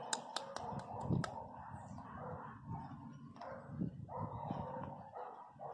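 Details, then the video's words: Angry miniature pinscher puppy crying loudly, one of several pups; a sustained, low, grumbling whine with a brighter wavering band above, swelling and fading over several seconds, with a few sharp clicks near the start. "Filhotes de cachorro pinscher mini bravo puro ódio"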